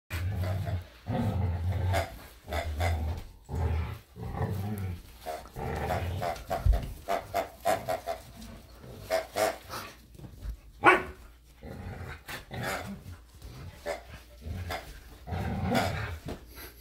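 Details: Samoyed Luma and Keeshond Zuko wrestle in a yard over a squeaky hedgehog toy. Deep rumbling growls come in repeated bursts, followed by rougher huffs and scuffling. A person's voice urges one dog on.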